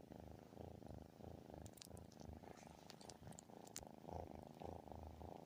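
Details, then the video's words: Cat giving what is called the loudest purr ever heard, possibly a snore: a deep, steady rumbling purr in rhythmic pulses, swelling and fading with each breath, with a few faint sharp ticks midway. "loudest purr l have ever heard or is it a snore"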